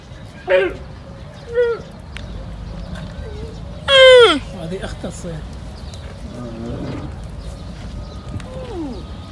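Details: Young camel calling with a sad, distinctive voice: short harmonic bawls that slide downward, one long loud cry near the middle, then softer falling moans over low background noise.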